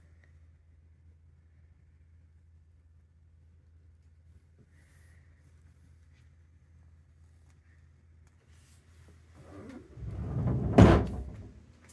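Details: A quiet indoor room with a steady low hum, a few faint ticks, and a brief muffled thump and rustle near the end.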